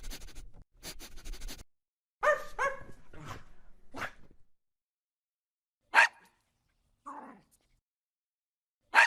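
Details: Aggressive dog barking amid rustling and clattering: a pair of throaty barks, a few scattered clicks and thumps, then one more short bark after a pause.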